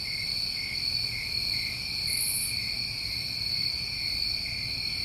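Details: Crickets of a New England summertime, their dense high trills running steadily in pulsing layered bands, broken only by one brief very high buzz midway through.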